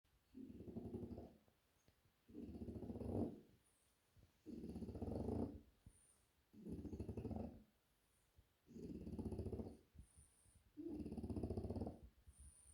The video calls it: French Bulldog snoring loudly